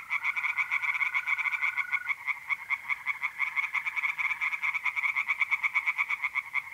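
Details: Tree frogs singing by night in a pond in north-east Italy in mid-April: a dense chorus of rapid, pulsed croaks in fast series, with a steady high trill of mole crickets running through the first two seconds.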